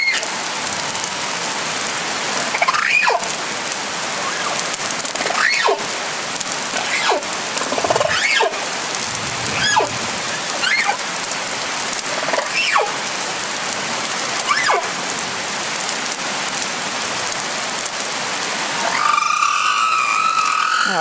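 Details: A male humpback whale singing in breeding season off Réunion Island gives one note, then repeats another note several times. The song is a series of short swooping notes about every two seconds under steady hiss.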